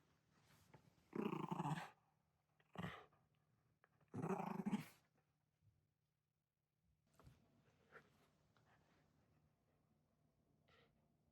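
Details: Ranmaru the Shiba Inu fights off family in oni costumes at Setsubun after a walk, shouting while dodging their club: loud harsh growl-barks, two long rasping outbursts with a short yelp between, then scattered faint knocks.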